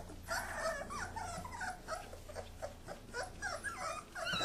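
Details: Kuvasz puppies wrestling while their father supervises; high whining yips and squeals, rising and falling, come in quick overlapping bursts with a low steady hum beneath.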